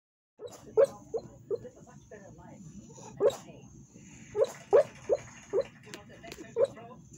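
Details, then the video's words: Female Staffordshire Bull Terrier barking in her sleep: a string of about ten soft, muffled woofs and yips, irregularly spaced and in small clusters, with faint rustling between them. "Staffordshire Bull Terrier barking in her sleep"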